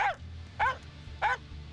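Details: Hunting Finnish Spitz baying at a treed bird with its pale tail wagging, the barking alerting the hunter and fixing the bird's attention: three loud, clipped barks spaced roughly 0.6 seconds apart over a low background rumble.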